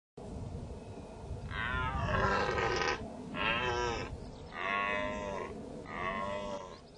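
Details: Dominant male deer, stags in the rut, roaring: four long, loud, harmonic-rich bellows about a second each, strained and rasping, separated by short pauses, over a low rumbling background.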